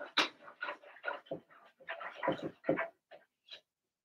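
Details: Blenheim Cavalier King Charles Spaniel puppies, part of a litter of six born March 7–8, in an indoor puppy pen: a quick run of about ten short, high yips and whimpers over roughly three and a half seconds, fading toward the end.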